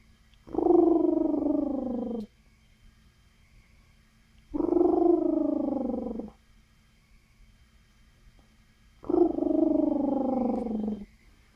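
A guinea pig gives three drawn-out, slightly falling squealing calls, spaced a few seconds apart.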